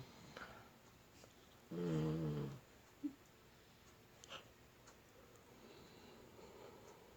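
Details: Sleeping puppy lets out one short snore of under a second, low and humming, in a quiet room with a few soft clicks and rustles around it.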